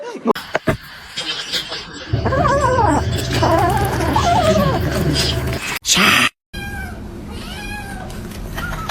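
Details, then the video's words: Domestic cat giving a long, drawn-out wavering yowl with a wobbling pitch that lasts several seconds, over a steady low hum, with brief human speech and clatter before and after. "cats meowing"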